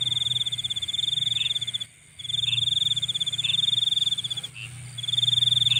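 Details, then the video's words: Insect calling at night: a steady, high, finely pulsed trill that drops out briefly near two and four and a half seconds, with softer short chirps repeating about once a second underneath. "Nighttime Insect Sounds"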